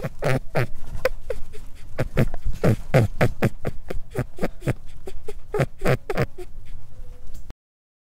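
A guinea pig makes a rapid run of short, low, grunting chuts, about four a second, with a few higher squeaky notes between.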